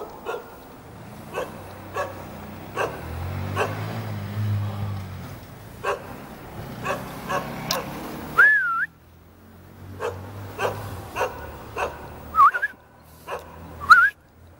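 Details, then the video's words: Jindo dog greeting visitors from a building rooftop in Jeonju, North Jeolla Province, Korea: irregular barks amid low engine rumble, interrupted by short wavering whistled tones and a brief gap. "건물 옥상에서 손님을 반기는 진돗개"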